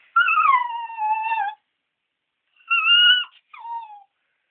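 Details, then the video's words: West Highland White Terrier home alone indoors, vocalising while its companion dog is away at the vet, a rare howl. Long drawn-out tonal howls sliding slowly downward with clear overtones, then a short pause and two briefer wavering howls. "Talking / howling Dog(Westie)"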